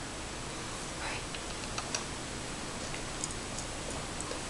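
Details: Soft indoor room noise with light clicking and ticking taps, a few brief rustles and faint sharp ticks, and no animal voice.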